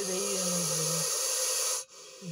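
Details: Russell's viper in an agitated, hyper state after being attacked by a dachshund, hissing loudly. A harsh, breathy rush of air lasts almost two seconds over a faint low hum, then cuts off sharply before a short low sound resumes.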